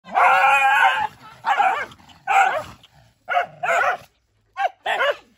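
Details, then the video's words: Mother dog fighting to protect her puppies: a long harmonic wailing cry of about one second, then short sharp barks and yelps in uneven bursts with brief silent gaps. "Poor Dog Fighting Protect Babies"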